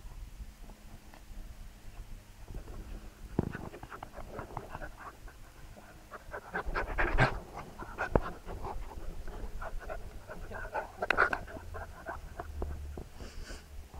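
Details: Two Labrador Retriever puppies learning to fetch, panting steadily in rough, breathy bursts that grow busier midway, with scuffling and knocking noises mixed in.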